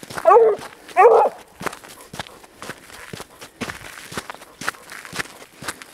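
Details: Grapa de Vallezano, a dog working the trail of wild boar, lets out two short, strong bays about a second apart. Afterwards footsteps crunch through undergrowth.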